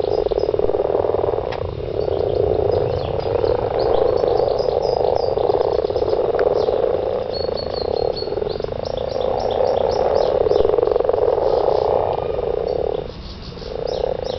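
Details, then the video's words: Garden frogs calling during mating, an unbroken rattling croak chorus that dips briefly twice, accompanied by faint high twittering calls above. "garden frogs"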